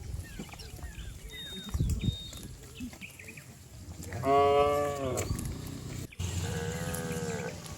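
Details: Cattle herd leaping and running down a green hill in a village setting, with one loud drawn-out moo rising and falling midway, a shorter moo near the end, and a low rumble of movement and faint background noise throughout.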